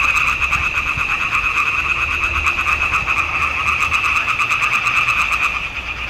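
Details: Frogs calling together in a swamp pond in June 2021, recorded on a Nikon D780. Countless quick, rattling croaks merge into an unbroken pulsing wall of sound that stays steady from start to finish.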